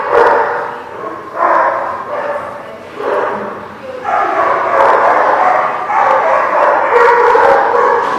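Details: Dogs barking in quick, overlapping bursts, a few separate barks in the first four seconds, then a near-continuous chorus of loud, harsh barking filling the rest.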